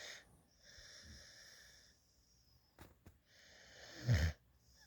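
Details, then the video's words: Sleeping in a lap, a young rescue puppy, a female adopted at eight weeks, snores with her tongue sticking out; thin whistled wheezes on each breath, a short snort, then a louder rasping inhale near the end. "Cute Puppy Sleeping in my Lap | Snoring Drooling and Tongue Sticking Out"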